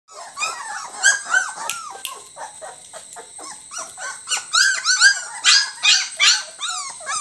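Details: Several Labrador Retriever puppies whining and yelping at once, high, bending squeals and short yips overlapping in a fast, uneven stream, with a faint steady high hiss behind them.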